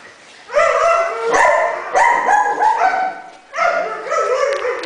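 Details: Neutered male Siberian Husky living at a rescue shelter, born around 2011; continuous rich harmonic yowling barks and howls in three long bursts, voice wavering in pitch.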